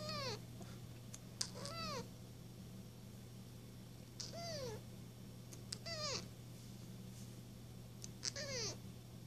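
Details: Kitten mewing nonstop indoors, a string of high, descending meows with rich harmonics, each about half a second long and repeated every one to two seconds, over a steady low hum.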